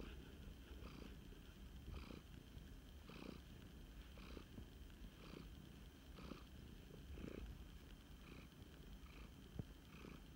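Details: Snuggling rescued male flame point Siamese cat purring: a low, continuous rumble in regular breath cycles about one second apart, with faint airy bursts on each, the room otherwise quiet.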